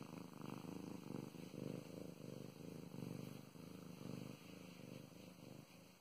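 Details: Female house cat purring as she is petted: a deep, throbbing rumble with short breath-linked surges about every second, close and intimate, with no other sounds present.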